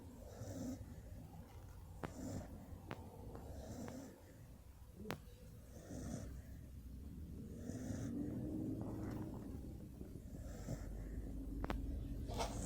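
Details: Sleeping dog snoring: rhythmic raspy, low breaths repeat in a steady cycle, with occasional sharp clicks and a soft continuous background hiss.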